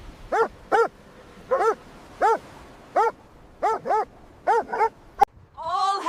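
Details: Golden Retriever on the Isle of Skye coast, barking seriously at the ocean as if giving a speech; a run of short, harmonic barks in pairs and singles roughly every half second to a second, ending in a longer whining yelp.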